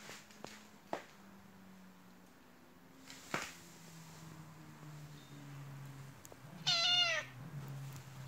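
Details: A white Turkish Angora cat that wants attention rolls constantly on the floor and cries, giving one short, bright meow that bends upward then drops, after several faint thumps and rustles.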